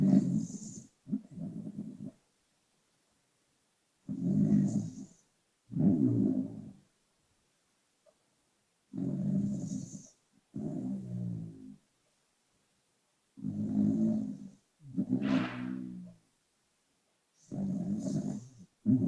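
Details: Sleeping pet dog snoring, sound boosted but not overdubbed: low, buzzy rattling inhales and exhales in irregular bursts with quiet gaps, one breath ending in a brief higher wheeze.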